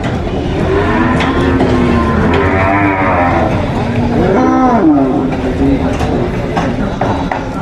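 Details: Grass-fed cows on a farm low in long, deep moos, one swelling and bending in pitch near the end.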